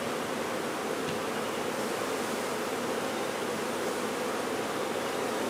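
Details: Honey bee swarm being removed, a massed, continuous humming drone with no breaks, steady in loudness throughout, a dense hiss-like wash over the low hum.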